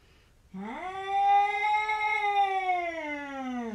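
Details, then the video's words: Domestic cat 'talking and yelling': one long drawn-out yowl lasting about three seconds. It rises sharply at the start, holds a steady whiny pitch, then sags at the end, in a quiet indoor setting. "Funny cats talking and yelling like humans"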